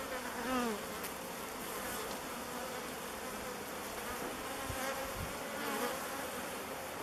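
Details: Swarm of thousands of bees swirling and waggle dancing as they settle on a log hive called Bee Beard as their new home; a dense buzzing hum with wavering, rising and falling whines of individual bees flying close past.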